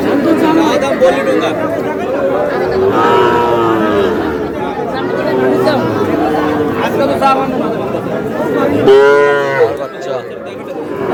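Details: Young bull calves bought by a Madaripur farmer at a busy cattle market on 28 April; low bellowing calls come through thick crowd chatter, with one strong, loud moo near the end.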